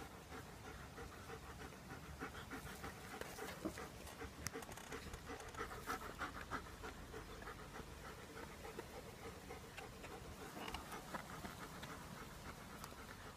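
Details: German Shepherds at play: steady, breathy dog panting throughout, quick rasping breaths of roughly three per second, loud and unbroken, with no barking and no other clear sounds.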